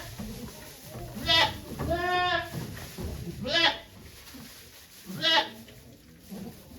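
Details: Goat named Okayu at Yoshigake farm on 3 May 2023, giving birth to two kids while many volunteers watch; one drawn-out harmonic bleat mid-clip, with sharp short sounds and human voices around it.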